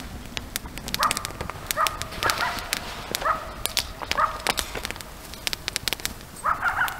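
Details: Around a camp at night, coyotes give a series of short, hoarse yelps spaced about a second apart, ending in a quicker cluster of higher yips, amid constant faint hiss and scattered crisp clicking sounds.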